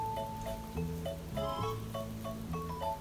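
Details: Soft mallet-percussion music with bright glockenspiel-like notes struck every half second or so over low sustained tones, recorded indoors with no animal voices.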